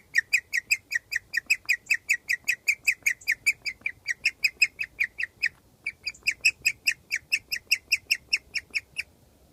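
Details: A guinea pig outdoors in summer, under its cage, gives a rare happy chirp: a long, steady run of high, bird-like notes, several each second, meaning it is very happy.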